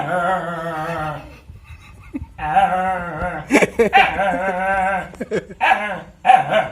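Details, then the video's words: A dog playing and fighting with a kitten indoors gives long, howling, moan-like cries, each held about a second, then rapid clipped yips and grumbles. Several outbursts follow in quick succession. "Dog Funny Sound"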